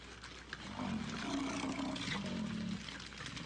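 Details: A herd of American bison stampeding on a highway in Yellowstone National Park, played back over radio: dense rumbling, hoof-like noise with low grunting tones swelling through the middle, slightly muffled.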